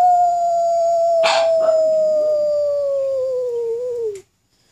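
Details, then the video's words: Jetta, a black pug, howls with some encouragement: one long, steady tone held for about four seconds, sliding gently lower and wavering before it breaks off, with a brief noisy burst near the start. "Pug Howl"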